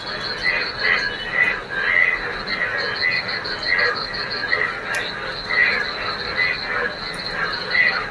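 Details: Frogs in a neighbourhood field where rainwater has pooled on a rainy day. Many callers form a chorus of short bursts repeating several times per second over a steady high insect-like hum, with a few faint clicks.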